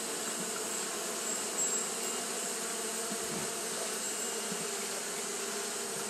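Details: Japanese honey bees keep fanning on a hot day, giving a steady droning buzz with a faint brief swell near two seconds and a few soft low thumps, otherwise uniform.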